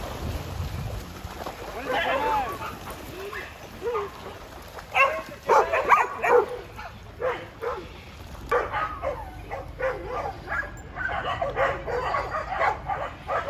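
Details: A farm Border Collie named Jed, tri-colour and almost seven, acting as timekeeper and herding people along: people talking at first, then a string of short, repeated barks in the second half.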